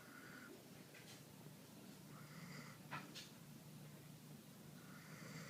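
A sleeping Siberian Husky snores softly, each raspy, breathy snore coming about every two to three seconds.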